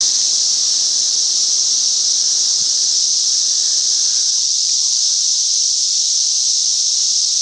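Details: A cicada, part of a great cicada invasion in a Chicagoland back yard, gives a steady, high, hissing drone that holds unbroken from start to finish.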